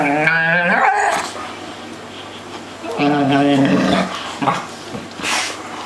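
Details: Three domestic dogs at play: a drawn-out wavering yowl opens, then quieter grumbling, a second harmonic howl-growl midway, and short gruff rumbles to finish.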